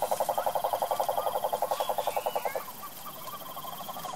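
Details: Wild cane toad from the Brazilian sertão and Pantanal giving a steady, rapid, mid-pitched pulsed trill, about twelve even pulses per second for two and a half seconds, then stopping abruptly, leaving faint scattered chirps and background hiss.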